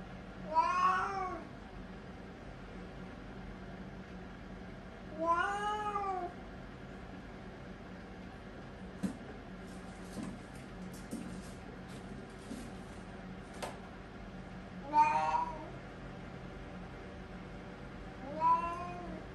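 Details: A 3-year-old Siamese cat using the toilet gives long, drawn-out meows that rise and fall, several seconds apart, voicing discomfort from constipation.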